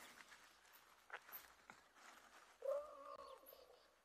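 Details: At sunset on 12 May 2022, a distant African elephant somewhere to the east, seemingly under some stress, gives a brief nasal squealing complaint under a second long over soft bush rustling and faint knocks; a nearby owl ignores it.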